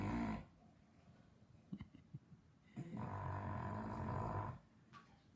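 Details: Sleepy English Bulldog snoring loudly: a snore trails off, a few faint clicks and snorts follow, then a long harsh rattling snore of nearly two seconds.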